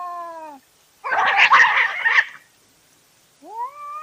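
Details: Cat in a night-time fight on a trail camera: the end of a wailing yowl, then a harsh, noisy burst of spitting and hissing for over a second, followed by a new rising yowl.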